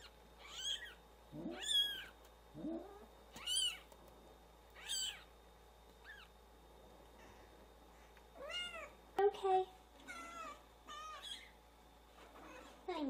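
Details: Several newborn kittens cry for their absent mother, giving shrill, falling mews in bursts separated by short pauses, some calls rough and lower, with a quiet background.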